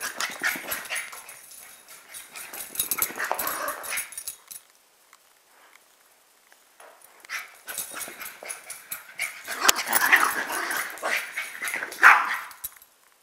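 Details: Pet dogs, a chihuahua/pug mix and a rat terrier/pitbull/jack russell/beagle mix, making rough, noisy vocal bursts in two spells separated by a few seconds of quiet, with sharper yelps near the end.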